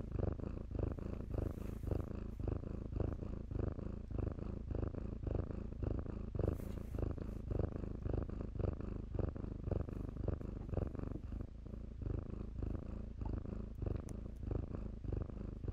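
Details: Domestic kittens playing in blankets at a shelter, purring steadily: a low rumbling pulse of about two beats per second, each breath cycle a soft surge, continuous throughout with faint rustling of fabric.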